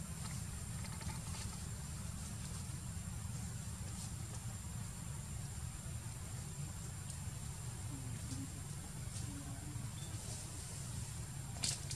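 Steady low rumble and broadband background noise, with no clear animal call.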